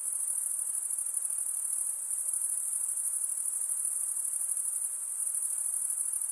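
A steady, high-pitched shimmering drone of night insects, unbroken from start to finish.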